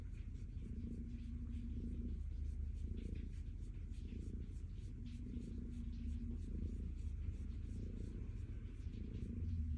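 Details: Stella the calico cat purrs contentedly while petted, a rolling low rumble pulsing about once a second with each breath, interrupted at times by a faint steady background hum.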